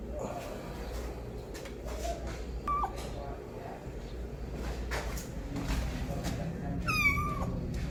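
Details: A kitten calling loudly for its mother: one short, high, falling meow near the end and a fainter brief cry earlier, over steady low background rumble and scattered clicks and knocks.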